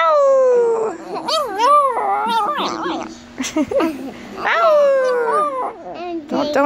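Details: Young attempts at howling by a pet chihuahua that keeps slipping back into barking: warbling, wobbling howl notes that rise and fall, broken by short yelps and barky bursts indoors.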